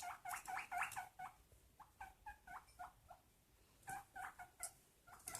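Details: Pet guinea pig giving quick runs of short, bright squeaks, several notes in fast succession, a pause, then another run of squeaks near the end; low room noise underneath.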